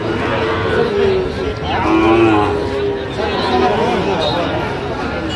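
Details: Sahiwal bull calves at a cattle market where a Barisal farmer is buying, with a drawn-out, low, tonal moo rising from the crowd, overlapping voices and bargaining chatter throughout.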